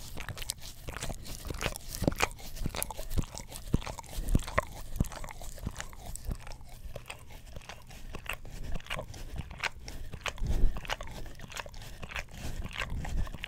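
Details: Pet English Cream Golden Retriever working its tongue over an Orapup tongue cleaner brush close to a stereo microphone, giving a steady stream of moist clicks, slurps and low thumping crunches in a quiet room.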